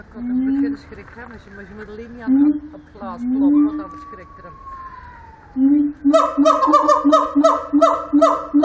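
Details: Siamang at Antwerp Zoo sings low booming hoots that rise and fall, then a long, gliding, falling whistle. A fast, steady series of loud, harsh, harmonic barks follows, repeated several times per second.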